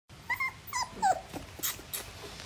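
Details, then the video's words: Beagle puppy throwing a tantrum on his first day at a new home, letting out a few short high whines and yelps, followed by scraping and knocking sounds indoors. "Beagle puppy showing tantrums on his first day"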